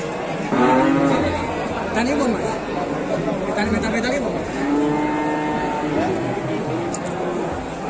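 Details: Cattle calf with several short, wavering moos spread through the recording, the clearest near five seconds, amid background murmuring and a continuous low hum.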